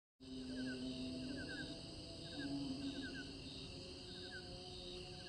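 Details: Crickets chirp in short pulsed bursts over a steady high insect drone, recorded while fireflies are in view.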